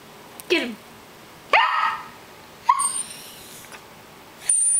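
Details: A poodle lets out three sharp, yelping barks about a second apart, while people nearby urge it on and a steady high tone sounds near the end.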